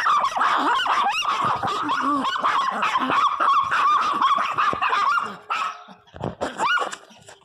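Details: Several pet Pinschers at home, squabbling and crying loudly: continuous high-pitched whining with quick yips and whimpers, dropping to softer broken whimpers over the last two seconds.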